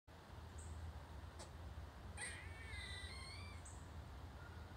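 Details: Squirrel. A squirrel lets out one harsh, drawn-out call that wavers in pitch for about a second. A low, steady rumble runs underneath, with two faint high tones before and after.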